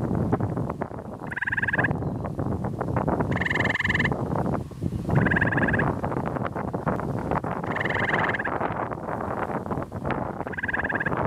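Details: Gray tree frog in a wet area on the Carden Alvar, Ontario, on 26 May 2013, singing to another frog: five short musical pulsed trills spaced roughly two seconds apart, against constant wind rumble.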